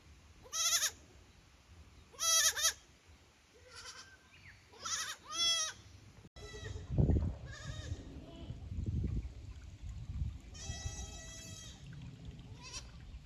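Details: Goat kids at Yoshigake goat farm, Japan, visiting the upper pasture on 15 May 2024 and too unsure to play; a run of quavering bleats early, then rustling and a longer drawn-out bleat later.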